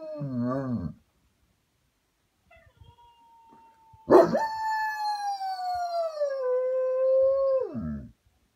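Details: German Shepherd named Zion mimicking husky howling. A short wavering whimper comes first, then a pause and a faint thin tone. A loud, sustained howl follows, starting high and sliding gradually lower before breaking off with a quick downward drop.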